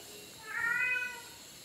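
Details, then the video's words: Fifi, a male house cat known for talking back to his owner, gives one clear, slightly rising then falling meow lasting under a second, replying after a question in Tagalog, with a faint room hum beneath. "TALKING CAT FIFI"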